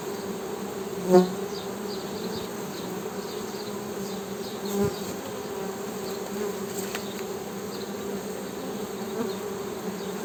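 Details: Continuous honey bee hum, a low steady buzzing drone, broken by a sharp click near the start and a soft thump midway, with faint high chirps in the background.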